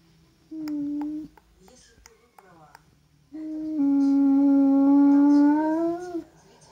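An Alaskan Malamute howls in two long, steady, mid-pitched notes, the second drawn out and lifting slightly at the end.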